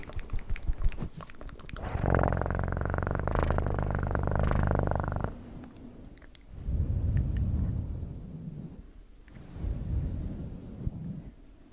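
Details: A cat's purr in three long bouts, deep and buzzing, each swelling then fading with short pauses between, with a few light taps at the very start.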